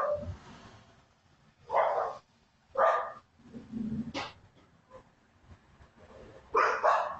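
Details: Small gray poodle running loose, very wet and very scared, heading up McAfee toward Candler, caught on a home security camera: short sharp barks in separated bursts about a second apart, with quieter whimper-like sounds between them.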